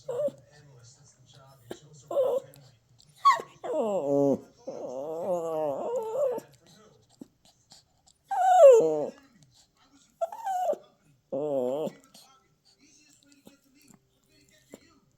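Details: Toy Poodle puppy having a tantrum: scattered short whimpers and yips, then longer wavering, harmonic whines and a rising-falling cry, with quiet gaps between outbursts in a quiet room.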